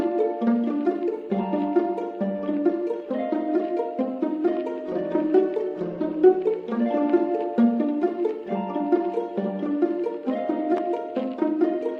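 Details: Only light instrumental music plays: plucked pizzicato strings and harp-like notes in a lilting, steady rhythm, with no animal sounds.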